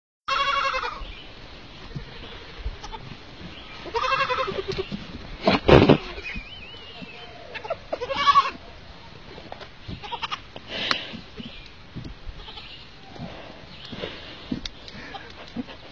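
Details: Young goat kid bleating in several bursts with wavering, quavering tones, about four calls spread over sixteen seconds, with louder sharp noises and some background voices between calls.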